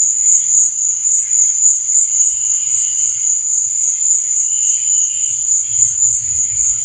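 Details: Cricket chirping at night: a shrill, sustained, rapidly pulsing trill on one high note, with soft, lower chirps mid-clip and a faint low rumble toward the end.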